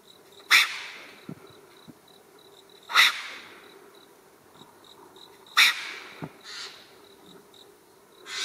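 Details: A solitary, territorial wild Japanese serow (Capricornis crispus) on a paved mountain road snorts harshly in sharp, hissing blasts about every two and a half seconds as a threat display at a kneeling filmer, over steady insect trilling.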